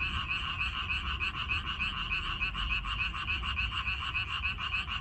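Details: Chorus of frogs in a Korean minari field, May 14, 2021, many calling together in fast, throbbing pulses about three per second, steady and unbroken, over soft low background rumble.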